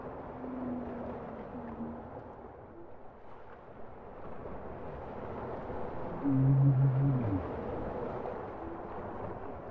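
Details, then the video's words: Bowhead whale song: a faint low hum early on, then a loud, steady two-tone moan with a harmonic near six seconds, over a constant rumbling underwater hiss. "Bowhead whale songs"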